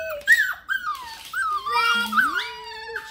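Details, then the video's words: Hungry Bluetick Coonhounds hollering for their breakfast indoors: drawn-out, wavering whines and howls that slide up and down in pitch, several voices overlapping, with one low rising moan near the end. "Hollerin' Bluetick Coonhounds want their breakfast!!"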